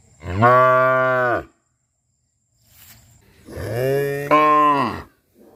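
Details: A cow in Rosulpur gives two long, deep moos, each a steady low drone that drops away at the end.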